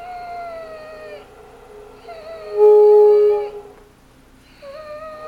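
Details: A dog making talking, howl-like sounds indoors: long, steady tonal notes with rich harmonics, sliding slightly downward, with a brief louder held tone in the middle and short pauses between phrases.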